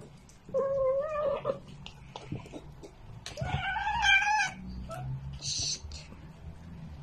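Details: Domestic cat meowing, from a compilation of cats standing sideways with arched backs: a drawn-out wavering meow, then a longer, louder whining meow, over shuffling and faint background noise.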